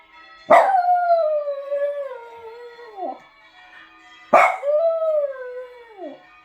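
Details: Small pet dog, a Jug named Zoomer, howling along to church bells: two long wavering howls that start with a sharp bell strike, slide gradually downward and end in a dip, over a ringing bell tone.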